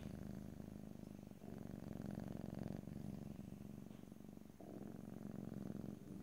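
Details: Close stereo recording of a pet cat purring continuously, the low vibrating rumble swelling and easing with each breath in and out, with no other sounds.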